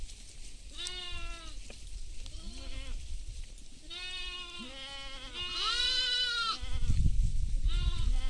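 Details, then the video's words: Goats feeding in a field alongside sheep; many overlapping bleats from several animals at varied pitches, some rising and some falling, coming in quick bursts, over a low rumble of wind or movement. "goat sounds"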